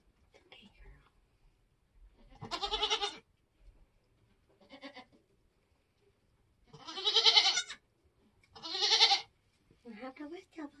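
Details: Nigerian Dwarf goat on a homestead during kidding season, giving birth: three loud, strained, harmonic bleats at roughly 3, 7 and 9 seconds, with short faint murmurs and quiet gaps between them.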